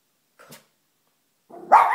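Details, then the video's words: Pet dog barking at the family's fish indoors, something she has never done; a soft short sound, a pause, then one loud harsh bark rising at the end. "Dog barking at fish"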